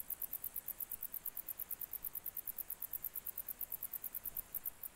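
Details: A grey bush-cricket, recorded in July 2021, sings a fast, even series of high, dry chirps, about eight or nine each second.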